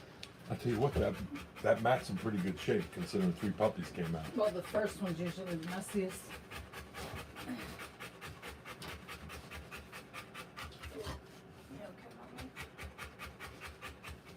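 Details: Rottweiler giving birth to puppies: a person talks over the first half, then the mother's rapid rhythmic panting continues alone as steady quick breathy huffs.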